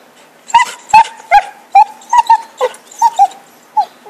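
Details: Dog named Happy, excited over a stick in 2012, yips in a fast, uneven string: about nine bright, high, clipped barks, some in quick pairs, with a faint whine held between them.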